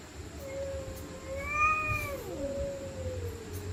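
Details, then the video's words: Angry stray cat screaming at night while fighting: one long, tense, wavering yowl that swells to a strained peak, then drops into a lower drawn-out moan, over a faint steady hum. "Stray Cats Screaming At Night||Angry Cats Growling Sound|Cats Fighting Sound"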